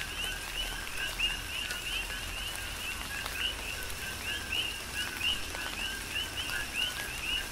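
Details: Rainy night chorus of coqui frogs on Hawaii's Big Island: numerous overlapping upslurred two-note chirps in a continuous rhythmic pattern, with constant rain hiss and intermittent drop clicks.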